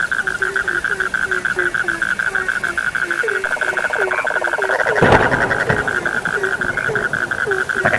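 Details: Frogs at night croaking in steady series, short falling notes under a constant high-pitched hum, with a brief rattling trill and a sharp thump midway.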